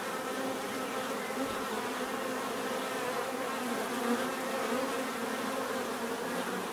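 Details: Continuous hum of a crowd of bees, an even, unbroken drone with stacked tonal bands that waver slightly as individuals move about.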